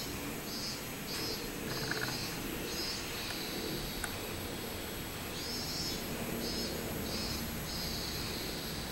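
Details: Minmin-zemi, the robust cicada, recorded on 24 July 2016, gives high buzzy pulses strung in quick stuttering series, two phrases of several beats each, over constant low-pitched ambient hum and a faint click.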